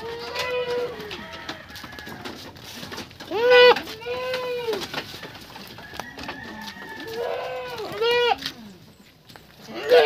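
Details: Purebred Anglo-Nubian buckling bleating while being bathed: several loud, wavering, nasal bleats, rising then falling with rich overtones, come at irregular intervals over about ten seconds, with human voices and splashing handling noises between them.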